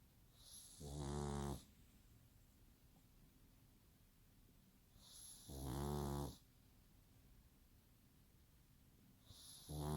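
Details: Pug snoring like a person, regular low rasping snores roughly every four to five seconds, each about a second long, with quiet breathing between.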